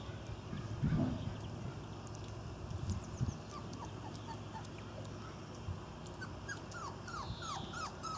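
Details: N-litter Irish Terrier puppies out for the first time: a low rustle and knock early on, then a quickening series of short, falling, high-pitched squeals in the second half, with a soft hum underneath.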